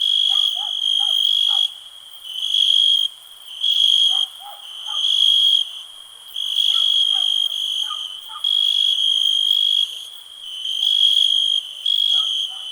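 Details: Cricket chirping in a calm nature ambience: loud, shrill, steady high trills in bursts of about one second with short pauses, plus faint soft lower notes from other creatures in the background.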